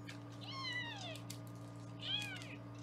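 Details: Two clear, high kitten meows, each bending down in pitch, from foster kittens on a live kitten cam in Los Angeles during weighing, with a steady low hum beneath.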